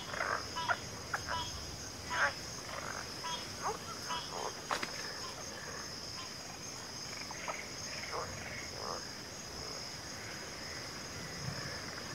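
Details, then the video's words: Mixed frog chorus from a backwater with pig frogs and water frogs named: overlapping short croaks and clicks scattered irregularly across the clip, some louder bursts near the start, over a steady high insect drone. "FROGS - Pig Frogs, Water Frogs, Backwater Chorus, & Frog Chorus"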